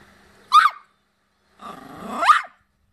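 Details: Dog barking: a short sharp bark, then after a pause a longer rising, whining bark that ends in a high yelp.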